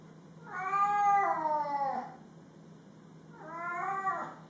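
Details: Male cat, upset at a bandage he hated, gives two long drawn-out wailing meows, the first about one and a half seconds and falling at the end, the second shorter, indoors with a steady low hum.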